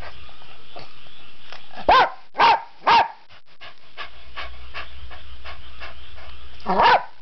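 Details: Barking pet dog wanting badly to go out for a walk: three quick barks close together around the second mark, a pause with soft panting and rustling, then one last bark near the end.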